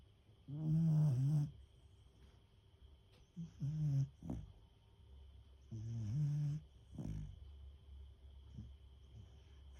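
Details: Deeply sleeping female Beagle gives loud, low rattling snores, four main drawn-out buzzy breaths spaced two to three seconds apart, with softer snuffles and wheezy exhales between them and a faint constant high hum in the background.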